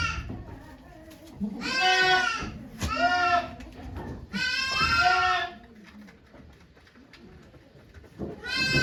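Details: Goat named Okayu giving birth to two kids at Yoshigake farm in Japan on 3 May 2023, with many volunteers watching; loud wavering harmonic bleats in three long bursts, low voices murmuring between them.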